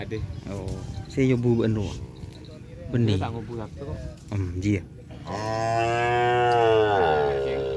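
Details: Cattle at a kerapan sapi bull race ground in Asemanis, a small young bull among them: a long, loud, steady moo of over two seconds follows bursts of people talking and background music.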